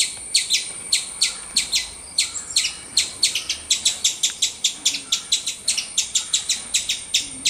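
A squirrel gives sharp, high chirps in a steady series, about three each second.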